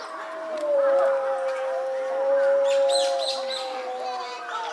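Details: Timber wolf at Higashiyama Zoo, Japan, giving a long steady howl that holds level and slowly falls over nearly five seconds, with a faint second voice above and people talking in the background.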